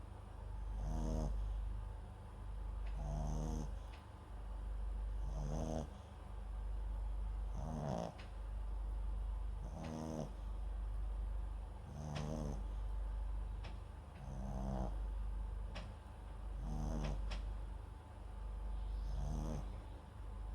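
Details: MAX, a sleeping Papillon × Japanese Chin mix dog, recorded with a microphone set beside him: soft, rasping snores with a faint high hiss, repeating steadily about every two seconds, nine in a row.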